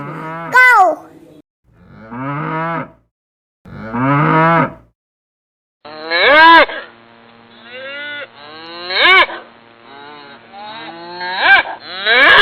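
A cow gives a string of about six moos, some short and rising, others drawn out and wavering, with a faint steady hum behind the later calls.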